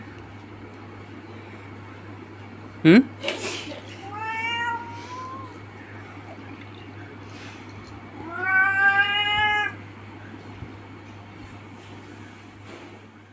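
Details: Male pet cat indoors calling twice, a short rising-falling meow followed seconds later by a longer wavering one, with a sharp knock and a human voice nearby over a constant low hum.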